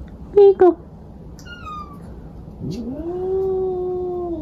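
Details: A male domestic cat gives two short clipped calls, then after a pause a long, drawn-out, low moaning yowl that rises at the start and holds steady before slowly fading; a quiet room hum underneath.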